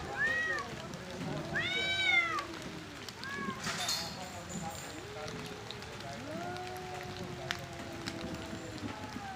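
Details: Male cats fighting over territory and breeding, high arched yowls alternating with low sustained growling moans, a brief rustling burst midway, steady background hiss.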